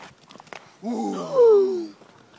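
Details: Belgian Malinois named Loba, playing: one drawn-out tonal whine of about a second with rich harmonics, swelling then sliding gently downward in pitch, preceded by a few soft clicks and taps.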